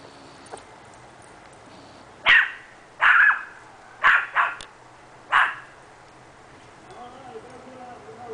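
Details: Seven-month-old dog Hex practising his vocals in a backyard: five short, sharp barks over about three seconds, irregularly spaced, followed by quiet with faint background sounds.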